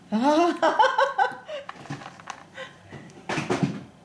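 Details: A male chocolate-and-white Siberian husky, born December 2010, gives a drawn-out, wavering, talking whine as he begs for treats.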